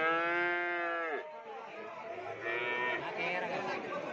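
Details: Madrasin cattle, a Madura crossbreed, lowing with a steady harmonic moo held for about a second before it drops sharply in pitch and fades, followed by softer, lower mooing sounds with faint background noise.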